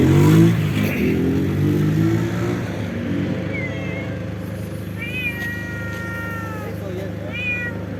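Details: Street cats meowing, with a few drawn-out, steady meows in the second half over a loud, low engine hum and rumbling traffic.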